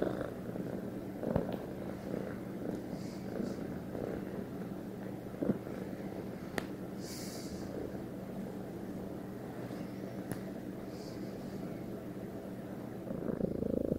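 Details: Purring from a domestic cat bonded with its owner: a soft, continuous low rumble broken by a few faint clicks and small rustles, getting louder near the end.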